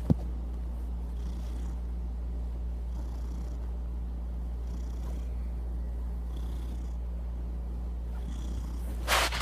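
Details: Low, rhythmic purring from Kevin the domestic cat, a rumbling buzz rising and falling with each breath, ending in a brief sharp rustling noise.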